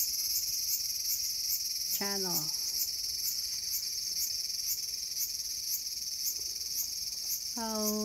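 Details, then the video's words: Cicada singing in a small garden on August 5, 2020, a loud continuous high buzz with slight throbbing pulses about twice a second, interrupted twice by short descending tonal sweeps. "The sound of Cicada."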